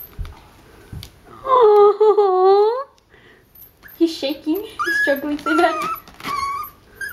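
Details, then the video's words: A pet dog named Mickey, described as crying and shaking, gives one drawn-out wavering whine of about a second and a half, then people talk and laugh indoors in a small room. "making our dog cry lol"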